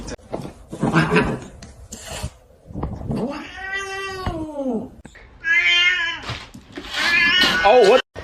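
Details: Domestic cat in a funny compilation giving a long drawn-out arching meow, then a higher wavering yowl, with people speaking over and between the calls indoors.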